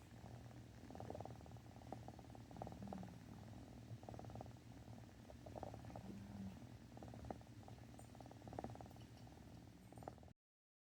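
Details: Domestic cat purring indoors at night alongside another cat sniffing and a third snoring; a continuous low rumbling purr with soft pulsing throughout, faint short scratchy noises over it.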